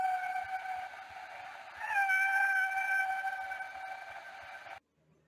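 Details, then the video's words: Male humpback whale singing, a song the whales use to talk to each other, maybe aimed at females. A steady tonal moan with rich harmonics swoops upward and holds, then cuts off abruptly into silence. "Let's listen to what a humpback whale song can sound like."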